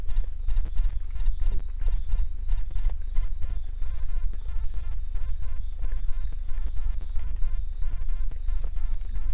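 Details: A paca at a corn bait site gnaws corn, its teeth making sharp, irregular crunching clicks over a low rumble.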